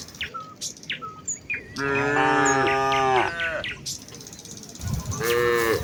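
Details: Village cows walking as a herd to the fields in the morning, calling to each other: one long, wavering moo lasting about two seconds, then a second moo starting near the end, with bird chirps before it.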